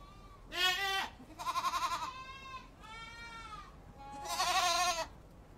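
A goat gives several nasal, wavering bleats, each about a second long, with short pauses between.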